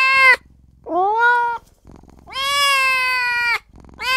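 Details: Tiny newborn kitten calling for its mother and its owner, giving plaintive meows: a short one, a rising drawn-out cry, then a long steady wail over a second long, in a quiet room.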